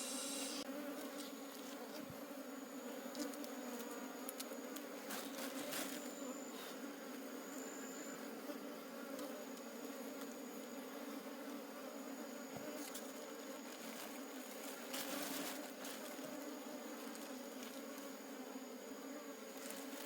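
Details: Wild honey bee colony in a forest during a honey harvest, the colony being collected to take home. A steady, low, droning hum with layered overtones fills the whole clip, broken by occasional clicks and rustling bursts.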